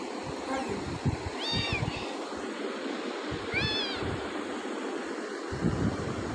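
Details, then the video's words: Pet cat described as very cute with beautiful eyes gives two clear arched meows about two seconds apart, each rising then falling with bright harmonics, over constant low background hum and scattered low knocks. "my chhumpu meow"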